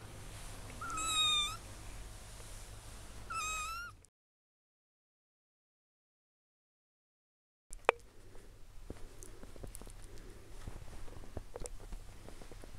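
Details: Domestic cat waking up and exploring, filmed on 9 July; two short clear meows, each rising then falling, about two seconds apart, followed by a few seconds of silence and then soft rustling and clicking movement sounds.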